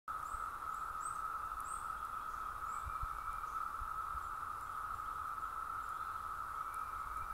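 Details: In North Georgia, a dense chorus of Brood II 17-year cicadas fills the air with a steady, unbroken droning hum.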